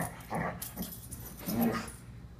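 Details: An 11-month-old Siberian Husky puppy, in a short burst of wild behaviour, gives a few short, strained whines and yelps that rise and break off in bursts.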